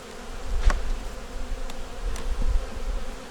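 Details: Quiet, even humming of a honey bee nuc colony during a winter hive check, a faint steady drone broken by a few soft clicks from handling the boxes.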